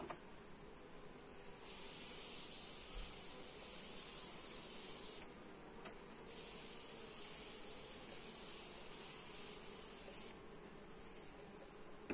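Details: Honey bee hum at a hive being inspected, recorded with a Xiaomi Redmi Note 8 phone; the steady drone runs throughout while two long spells of loud hissing overlay it.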